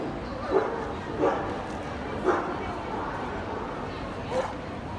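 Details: Gordon Setter male puppy at the FEHOVA exhibition, 17 February 2017: four brief, separate barks spaced one to two seconds apart, rising out of a constant murmur of people talking in the hall.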